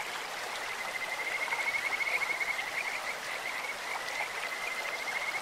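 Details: Kajika frogs calling in a clear stream: sweet, bird-like whistled trills near one steady pitch, a long run around the first two seconds and more bursts toward the end, over continuous rushing water.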